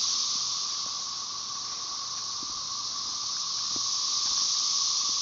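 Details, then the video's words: Tyler Bend Park near Marshall, Arkansas, May 30, 2011: a Brood XIX chorus of Magicicada tredecassini over background M. tredecim, heard as a constant shrill, sizzling drone that grows slightly louder toward the end, with a few soft ticks underneath. "Periodical cicada "cassini" chorus"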